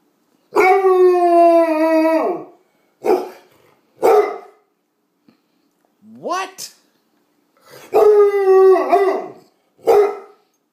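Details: Bluetick Coonhound, a female indoors, answering her owner's questions; long drawn howling bays about 1.5 seconds each alternate with short gruff woofs, with a higher whining yelp in between, separated by silences and brief human speech.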